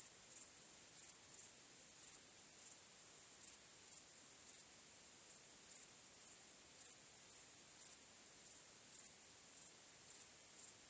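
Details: Night-time cricket chorus under a starry sky, a continuous high-pitched ringing trill swelling into louder beats roughly every second, with no other sounds.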